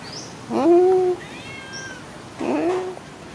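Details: Friendly, happy pet cat after a meal, giving two clear, tonal meows a couple of seconds apart, each a short drawn-out wail that rises then eases off, with a thin higher whistle-like tone between them against quiet background.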